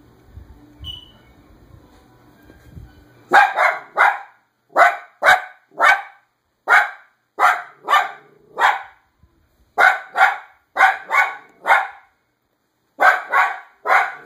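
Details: Pet dog, a female, barking at every person she sees outside: loud, harsh barks in quick bursts of two or three, about eighteen in all after a few quiet seconds at the start.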